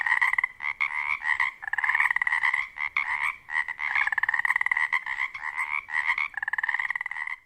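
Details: Pacific tree frogs, also called Pacific chorus frogs, calling at dusk in a spring wetland on the Olympic Peninsula during mating season; males' dense overlapping chorus of rapid two-part ribbit-like croaks, pulsing continuously with brief gaps.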